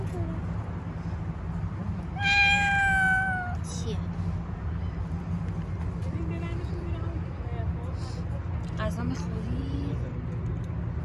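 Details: Stray white cat on a city street, being petted, gives one clear harmonic meow of about a second and a half, held level then dropping slightly at the end. Steady low traffic rumble throughout, with faint voices and small rustles afterward.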